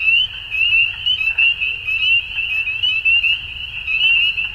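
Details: Dusk frog chorus: shrill, rapid trills from many overlapping frogs form a constant bright band, with short swells in volume every half second or so.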